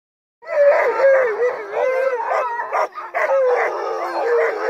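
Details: Crossbred husky mixes, a sled team, during a night run in heavy snow: several dogs howl together, overlapping wavering mid-pitched tones that rise and fall, with yips cutting through and no pauses.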